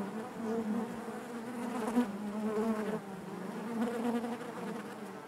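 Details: Honey bees buzzing inside their hive: a dense, steady drone with strong low hum bands and layered harmonics, many bees overlapping, swelling gently without pause.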